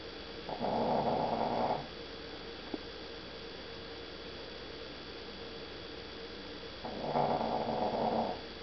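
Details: A sleeping dog snoring: two soft, raspy, noisy breaths about six seconds apart, each lasting roughly a second, over a steady low background hum.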